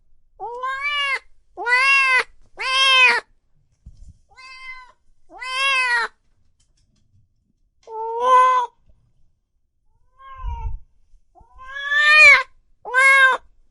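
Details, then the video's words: Cats and kittens meowing loudly, a sequence of about ten short, arching meows, some faint, some strong, in irregular bursts with brief silences and one low thud. "Sounds of Cat Meowing and Kitten Meowing |Baby Cats Meowing |Cats Meowing Loudly"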